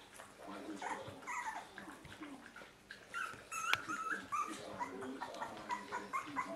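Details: German Spitz puppies, Mittelspitz and Kleinspitz, from an earlier litter, giving high, thin whimpering squeaks in quick, irregular bursts, some rising and wavering, over soft background rustling.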